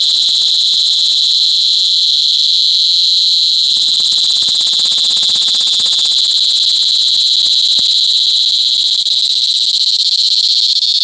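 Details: Loud mating calls of cicadas at Sitio Bagumbayan, Brgy. Balabag, La Carlota City, Negros Occidental, in July 2020 cicada season: a continuous, piercing shrill whine that never breaks, with light rapid ticking and some low rumble mid-clip.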